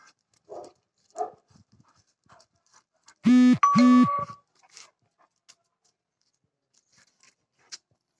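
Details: A five-month-old South African Boerboel puppy on a day out gives two short, strongly harmonic barks in quick succession. A thin, steady tone overlaps the second bark, and faint scattered noises come before and after.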